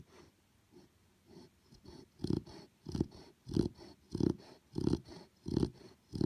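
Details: Sleeping Chow Chow puppy snoring: quiet breaths at first that grow into loud, regular low rasping snores roughly every 0.6 seconds, each with a faint breathy hiss on top, in a quiet room.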